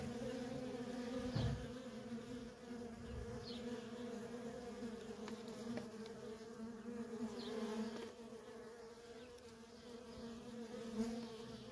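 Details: Worker honey bees in nonstop traffic at a feral colony: a steady layered hum with strong bands in the low-mid range, swelling and fading slightly as individual bees pass close.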